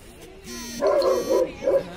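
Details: Tibetan Mastiff barking in public; three deep, booming barks follow in quick succession after a brief quieter lead-in.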